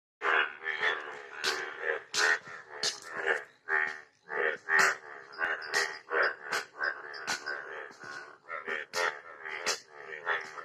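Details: Frogs croak in rough, nasal bursts that overlap and repeat at an irregular, quick pace during the rainy season.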